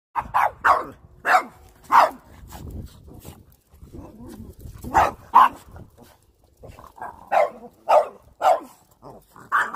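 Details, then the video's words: Pet dogs barking at a broom, sharp loud barks in quick pairs and bursts, about a dozen over the stretch, with quieter scuffling and rustling between. "My Dogs HATES The Broom"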